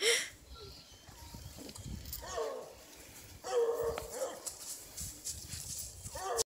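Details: Massive male Bluetick Coonhound stud, about 120 pounds, a deer hunting dog: deep drawn-out baying barks in three separate bursts a second or so apart, with outdoor background noise and faint human voices.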